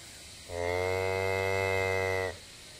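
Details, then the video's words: Miniature purebred White Galloway cow Tuppence calling softly to her newborn bull calf Storm Boy, less than a day old and born during a thunderstorm, filmed 09 12 2014; one steady, low, level moo lasting about two seconds, rich in overtones, quiet background. "Mumma Talking to Bull Calf"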